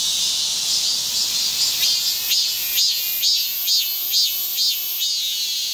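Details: A cicada gives a shrill, steady buzz with pulses repeating about twice a second, in a nature recording with wind and grass insects.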